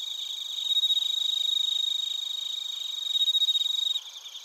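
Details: Bell crickets and other crickets in Narita, Chiba, Japan, TASCAM Portacapture X8 recording. Rapid, ringing pulsed chirps repeat about four times a second in bursts, with a strong swell near the end before an abrupt drop.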